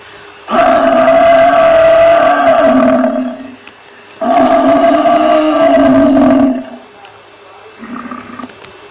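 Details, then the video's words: Two sustained, buzzy buffalo bellows of roughly two and a half seconds each, a short gap between them, then one faint brief low call near the end. "Buffalo Sound Effects"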